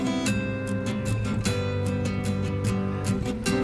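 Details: Strummed acoustic guitar music fills the recording, with steady rhythmic chords and no animal sound.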